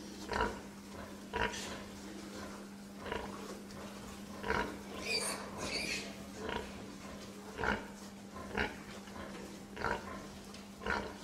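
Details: Short nasal grunts from a pig come about once a second, broken midway by a brief squealing outburst, with a steady low hum underneath throughout.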